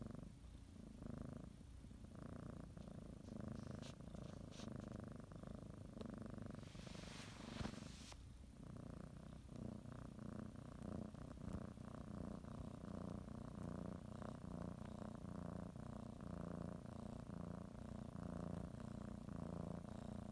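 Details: Pet cat purring as it kneads a blanket before its morning nap; steady low rumble with breathing cycles, interrupted around seven seconds by a short broadband rustle, then continuing evenly.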